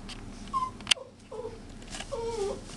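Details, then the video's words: Chihuahua puppies giving short high whimpers, three thin whining squeals that bend up and down, spaced across a few seconds, with a sharp click between the first two and a steady low hum indoors. "puppies chi"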